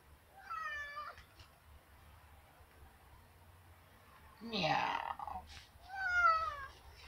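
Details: House cat meowing to go outside: two drawn-out harmonic meows several seconds apart, with a person's speech between them.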